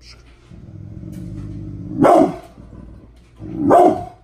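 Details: An angry Pit Bull called Bullet, mad this morning, rumbles a low steady growl then lets out two hard barks roughly a second and a half apart.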